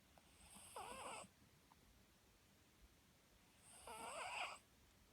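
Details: Pet Papillon dog snoring; its new owner, alarmed by the snoring, had it checked at a vet and nothing was wrong. Two raspy, whistling snores with bright buzzy overtones, about three seconds apart, in a quiet room.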